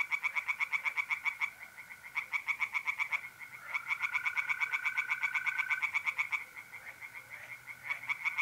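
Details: Tree frogs singing by night in a pond in North-East Italy in mid-April: bursts of rapid, rattling nasal croaks separated by short pauses, while mole crickets keep up a continuous level trill underneath.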